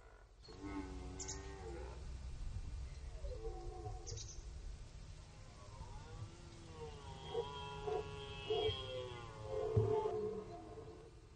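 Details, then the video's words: Red deer stag during the rut at the Orzysz military training ground, archival recording; a series of short, groaning roars over low rumble, ending in a run of rhythmic grunting bursts roughly every half second. "Archiwalne rykowisko na poligonie Orzysz"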